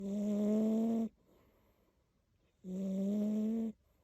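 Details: Big, heavy cat snoring loudly, said to sound like an old lady: two long, even, droning snores about a second each, separated by a quiet pause of a second and a half.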